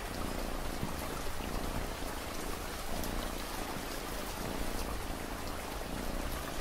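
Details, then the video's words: Domestic cat purring in a continuous low throb with rhythmic breath breaks, partly masked by even, heavy rainfall. "Cat Purring Sound"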